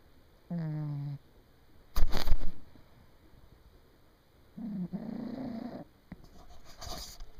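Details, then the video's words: A pet cat asleep and snoring loudly, not waking even when bumped by the camera. Two low, rasping snores are separated by a clattering thump of handling noise, followed by fainter rustling. "Snoring Cat"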